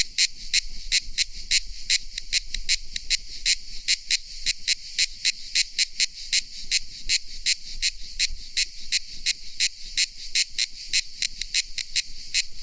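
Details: A cicada sings in a continuous series of sharp, high buzzy pulses, closely and evenly spaced, shrill and rasping throughout.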